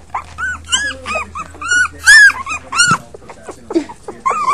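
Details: Five puppies whimpering, with a run of short arched squeals about every half second, one strong yelp near the midpoint, then softer scattered whines.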